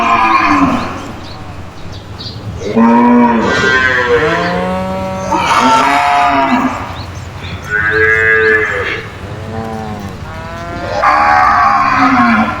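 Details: Several cows mooing loudly in a cage, answering each other; long harmonic moos, some rising then falling, come in overlapping bursts about every two to three seconds.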